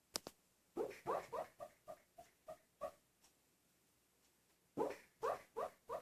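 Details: A male Italian Greyhound barks in his sleep while dreaming, giving soft, muffled woofs; his owner guesses he may be chasing cats, birds or squirrels.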